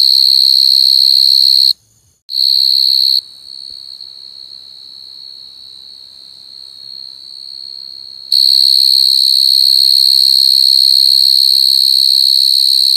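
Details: Coconut crickets crying in a sharp, steady high-pitched drone that cuts out for half a second near two seconds, sinks much quieter for about five seconds, then returns at full, shrill strength.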